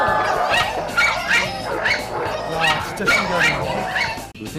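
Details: In an experiment, several dogs join an agitated poodle barking as if its owner were in danger, giving rapid, harsh barks, about two a second, that grow more intense, while a man's voice narrates over them.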